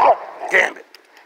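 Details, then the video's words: Two quick barks from a Rottweiler in the snow, the first lower and the second higher and brighter, fading into quiet within about a second. "Rottweilers in snow"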